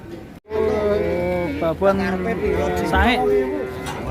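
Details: Sacrificial qurban cow out of control and panicking the crowd: a loud, level, drawn-out bellow with a wavering tail, while people talk over it in the background.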